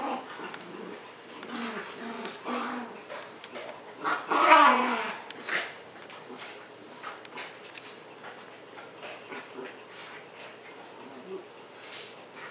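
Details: Pet dogs playing on an indoor floor, a household of a Husky-Shepherd mix, an orange fox-face Pomeranian and a Miniature Schnauzer; low harmonic growly whimpers early on, a louder burst near the middle, then scattered clicks and scuffling.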